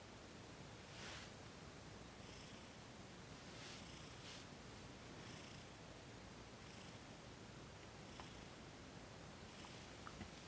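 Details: Purring from Thomas the cat as he is massaged during a Reiki session, December 28, 2021. A continuous low rumble swells roughly every second or so in time with his breaths, with soft rustling of hands on fur.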